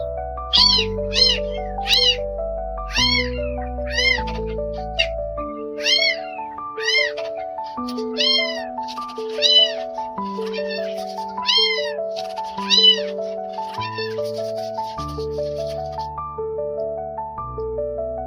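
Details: Two newborn stray kittens, rescued after being abandoned in rain, meow repeatedly in short sharp cries. The calls grow sparser and fainter later while background music continues.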